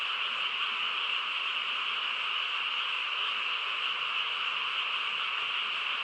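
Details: Night chorus of frogs in quiet countryside, many voices blending into one continuous, shimmering drone that stays level throughout, no pauses and nothing else clearly heard.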